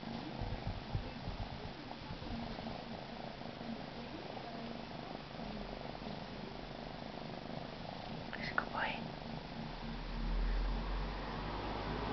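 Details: Male Siberian kitten purring indoors, a steady low rumbling purr running throughout, with soft human whispering and a brief sweeping sound near the end.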